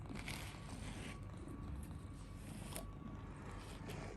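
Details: Steady soft rustling and scratchy brushing noise runs over a low background hum, with no animal call present.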